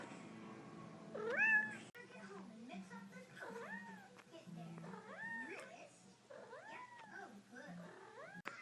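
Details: A chatty kitten gives a run of meows in the morning, each rising then falling, while a person talks to it.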